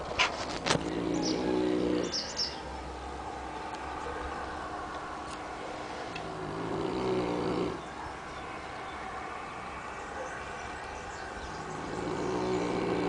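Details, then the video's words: Annibale, a Neapolitan mastiff at Capaccio in the province of Salerno, Italy, snoring heavily while asleep: long, rough, roaring breaths rising and falling in slow cycles of several seconds, with a few sharp knocks near the start. "Annibale the neapolitan mastiff snore"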